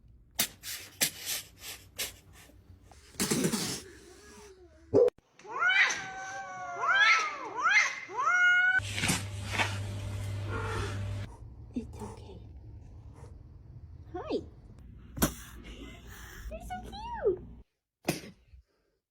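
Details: Young kittens, described as spicy and hissing, give a run of rising then falling meows, several in quick succession, with scattered sharp broadband bursts and a woman's soothing voice between calls in a small indoor room.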